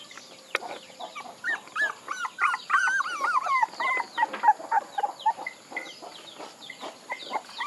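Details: Several puppies crying together: overlapping high, wavering whines and squeals that bend up and down, crowded and continuous through the middle, with short yips and soft thumps between them.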